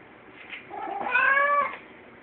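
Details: Pet cat talking: a soft murmur swells into one clear, slightly rising meow about half a second long, then fades back into low background hiss.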